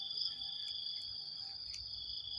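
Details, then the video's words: Morning chorus of crickets in early dim light with some wind: an unbroken shrill droning trill, with faint brief clicks on top. "ฟังเสียงหรีดหริ่งเรไร ยามเช้าๆ"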